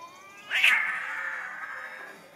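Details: Two cats fighting, recorded 8.11.2015: a drawn-out harsh yowl that jumps sharply in pitch after half a second, then holds as a strained wail and slowly fades.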